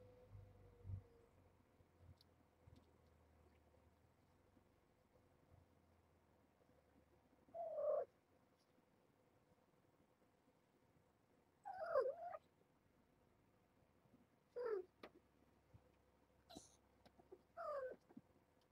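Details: Mother cat Nala Se, a one-year-old former stray at Purrfect Pals, calls indoors one morning to wake her kittens and lead them toward the room beyond the door; four short, rising-falling meows spaced several seconds apart over a quiet, humming room.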